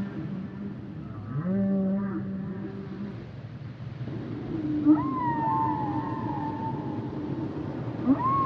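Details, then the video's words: Humpback whale song with a rising then level low moan carrying harmonics, followed after a pause by a long wavering higher whine that slowly falls, and a final sharp upward sweep. "Sounds and Songs Of The Humpback Whales"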